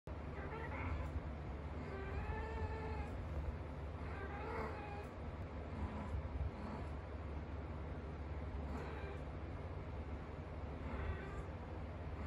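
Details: British Shorthair cats, a blue and a lilac, during mating, with drawn-out yowling meows rising and falling, repeated about every two seconds over a steady low hum.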